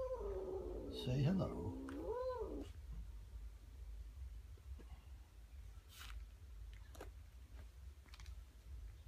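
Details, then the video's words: A stressed, grumpy Siamese cat meeting a new kitten indoors gives a wavering, drawn-out yowl followed by a shorter moan, then quiet room noise with faint clicks. "Stressed siamese Cat meets new kitten"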